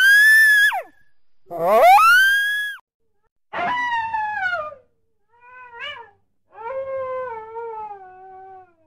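Coyote giving five drawn-out, wavering howls, some sliding down and one swooping up then falling, each a second or two long with short gaps between.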